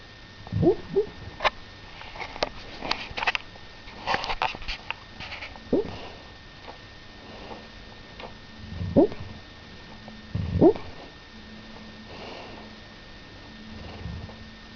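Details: A sleeping dog dreams in late June 2006, giving soft, muffled whimpers and little yips between quiet snuffling breaths.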